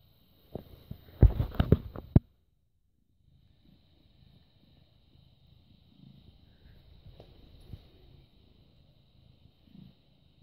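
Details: British Shorthair cat born 18 August 2010, recorded on 6 May 2017 at 21:55, purring: a few seconds of loud rustling handling noise, then a soft, low, steady rumbling purr that continues quietly to the end.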